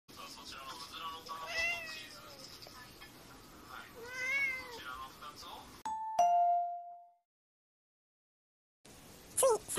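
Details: Brown tabby cat indoors giving two drawn-out meows that rise then fall, with rich stacked overtones and low room noise between them. A sharp chime-like tone follows, then silence and a final short high sound.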